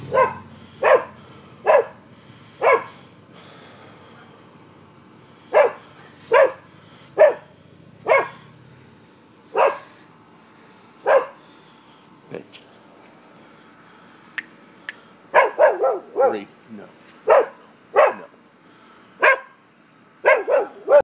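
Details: Neighbourhood dogs in Seminole, Florida, heard as a nuisance on the morning of 25 October 2015: about twenty sharp barks over twenty seconds, spaced irregularly, with a quick flurry of several barks near the end and a low rumble early on.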